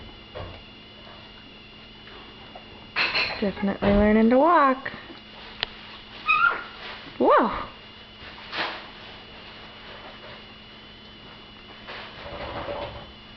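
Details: Two-week-old puppies from Stella's litter indoors, eyes newly opened and learning to walk; several high, wavering whimpers and squeals with harmonics, rising then falling, around four and seven seconds, amid sniffing, a soft voice and steady mains hum.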